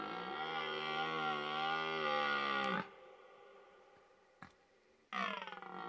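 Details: Red deer in rut bugling during the mating season: a long, loud, harmonic roar held for nearly three seconds before breaking off abruptly. A brief click follows in the quiet, then a second harsh roar begins.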